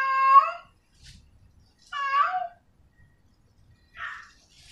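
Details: Female cat in heat, calling to a male, utters two loud tonal meows followed by a shorter, rougher, fainter cry, with light knocking sounds between calls.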